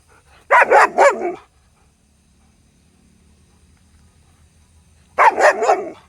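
A German Shepherd barks angrily in two quick bursts of three deep, harsh barks.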